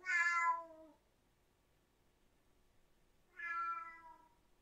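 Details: Siamese cat with two meows: a bright, falling cry at the start and a softer, similar one around three seconds later, with quiet between.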